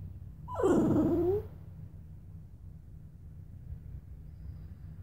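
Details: Luna, a pet Bichon Frise, lets out one short whimper that dips and then slides upward, about a second long, followed by quiet room noise with a faint low hum.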